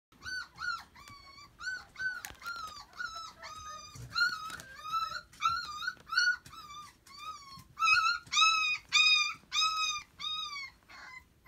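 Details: Lively, friendly puppy wanting attention, indoors, giving a steady series of high, clear whines, each a short arched whistle-like note with rich overtones, repeated about twice a second, growing louder toward the end.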